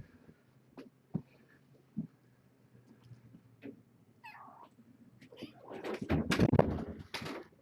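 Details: Young kittens from a litter born June 21 to the rescued stray Nala Se at Purrfect Pals, indoors during a weigh-in. One short high meow curves up and down around four seconds, then loud rustling and handling noises take over.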